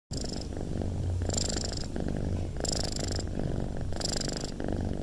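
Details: A cat purring close up: a steady, grainy low rumble that swells in breathy cycles about every one and a half seconds, each peak carrying a hissy upper edge.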